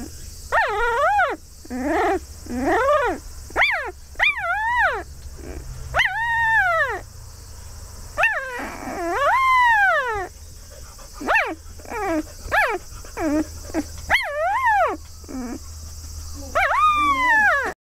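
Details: Newborn Labrador Retriever puppy of the field type, four days old, crying for its mother: repeated arching squeals and whines that sweep up and down, some long and wavering, others clipped, closely spaced throughout over a low steady hum.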